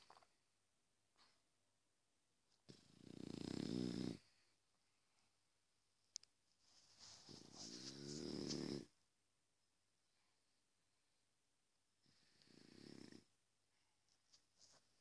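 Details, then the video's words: French Bulldog sleeping and snoring, three rattling, fluttering snores spaced several seconds apart, each rising and fading, with quiet room sound between. "French bulldog sleep"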